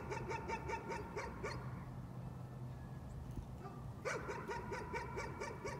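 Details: Nuisance barking by a dog: a fast string of sharp, repeated barks, a brief break near the middle, then another rapid run of barks, over a constant low hum.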